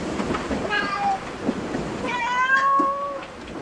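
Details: A cat at a cat cafe gives two harmonic meows, a short one followed by a longer, drawn-out level meow, over a steady rumbling background noise.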